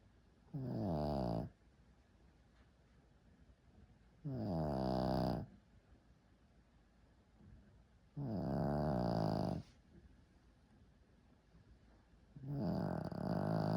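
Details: Shih Tzu dog snoring indoors: four long, loud rasping breaths about four seconds apart, each lasting roughly a second, with quiet gaps between.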